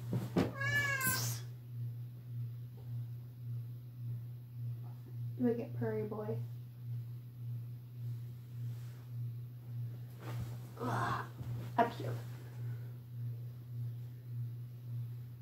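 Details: Indoor pet cat meowing loudly: one sharp loud meow at the start, later a pair of short mews and a few brief sounds, with a person speaking and steady low hum throughout.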